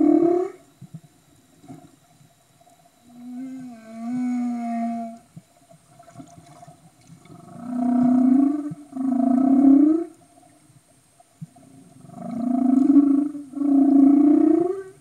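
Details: Underwater humpback whale vocalizations from Tonga, 2015. A short moan and a wavering tonal call are followed by two pairs of loud, rich, rising moans, each call about a second long.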